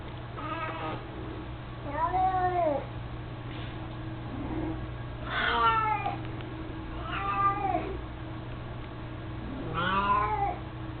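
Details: Mico, a chubby, mostly blind 18-year-old house cat who carries his toy mouse around: a run of five or six short rising-falling meows every second or two, with a low electrical hum underneath.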